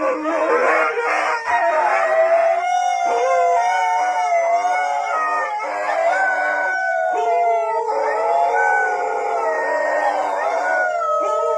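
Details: Several dogs howl together in a loud, continuous chorus of overlapping sustained tones, wavering up and down and layering into a dense harmonic wall throughout.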